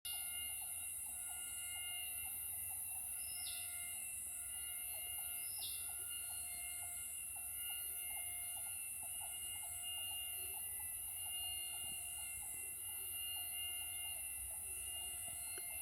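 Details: Insects, possibly crickets, along the Dragons Crest nature trail in Krabi, Thailand, in 2023: an unbroken, very high, shrill drone like drilling through steel, over steady lower humming tones, with two brief falling whistles from another animal near the start.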